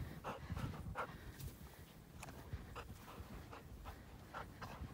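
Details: Black female Labrador Retriever hiking through deep snow in Utah for exercise, breathing in soft rapid pants close to three per second, somewhat uneven, over low rumbling movement and snow noise.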